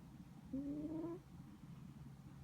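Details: A sleeping house cat gives a single faint, whistling snore: one slightly rising nasal tone lasting under a second, then quiet.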